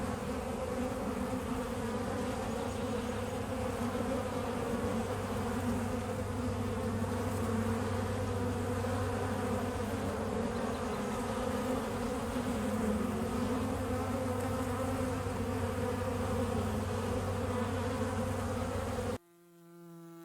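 Bees buzzing in a steady, low droning hum that holds without pause.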